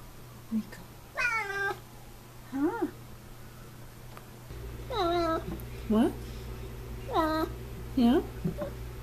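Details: F6 Savannah cat indoors making a run of short chirpy meows, about eight calls rising and falling in pitch, some bending upward at the end, with a background hum and a woman speaking softly.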